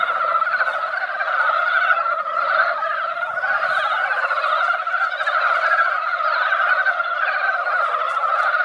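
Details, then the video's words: Mountain frogs gathered at a quiet mountain pond after a light rain that barely wet the ground. A dense, continuous chorus of overlapping croaks forms a steady droning roar in two pitch bands, with no pauses. "산개구리 노래"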